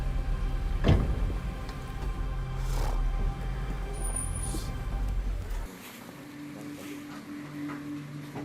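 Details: Low vehicle engine rumble with clicks and mechanical noise, then a quieter hum; no animal calls.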